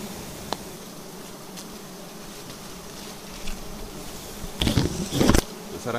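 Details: Bee colony at a nest on a vertical tree during harvesting, giving a continuous low humming drone; near the end, loud bursts of handling noise and a voice cut across the buzz.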